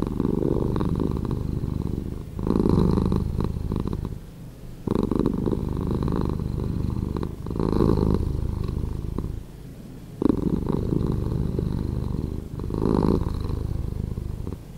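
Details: Domestic cat purring, recording edited to play slower; deep, low rumbling purr swelling and easing in long cycles about every two and a half seconds, steady and continuous with no other sounds.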